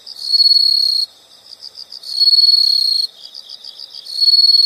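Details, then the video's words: High insect trills, each about a second long, repeating roughly every two seconds with quieter beat-like chirps filling the gaps between them. "the sound of insects"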